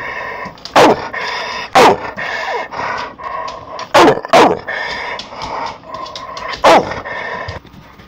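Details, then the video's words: Pit Bull snarls at the camera, a steady harmonic growl with clear banded tones, punctuated by a few sharp snapping barks near one, two, four and seven seconds. "Pitbull snarling at the camera"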